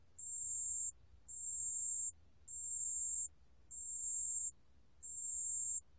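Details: ["Pale bell cricket from a 2020 recording by Korea's National Institute of Biological Resources, producing five clear, thin, high ringing trills of roughly 0.7 seconds, evenly separated by short gaps."]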